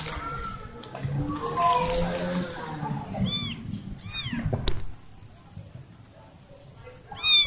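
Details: Kitten that lost her family gives a few high, arching meows in the second half, each rising then falling, after several seconds of human speech and room noise with a sharp knock.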